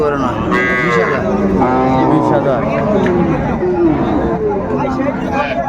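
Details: At Ambari market, Dinajpur, 24 May, cows with calves are traded; several short, wavering moos rise and fall among busy overlapping voices of buyers and sellers.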